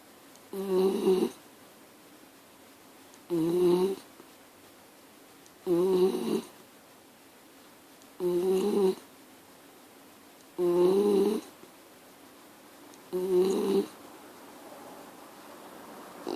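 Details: Mini schnauzer snoring indoors, six evenly spaced nasal droning bursts roughly every two and a half seconds, each with a slightly wavering hum, separated by near-silent breaths in a quiet room.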